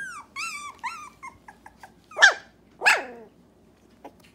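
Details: Three-week-old Dachshund puppies from one litter, very vocal: a string of short, high, squeaky whines with rising and falling tones, then two louder, rougher yelps near the middle and a faint squeak at the end.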